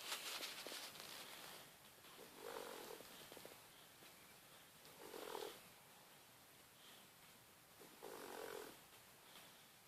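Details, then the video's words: Cassius, a 14-week-old Boxer puppy, snoring while asleep; three soft, breathy snores about every three seconds, each a hoarse rasp, with a quiet hiss between breaths. "CASSIUS THE BOXER DOG SNORING ZZZ (14 weeks old)"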